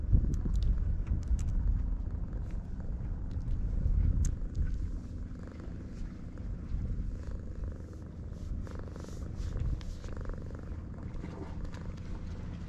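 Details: Low rumbling purr from stray cats on a cat island, gentle with each other at a first meeting, recorded on a GoPro HERO8; a dense steady throb, louder in the first four seconds, with faint clicks and handling noise.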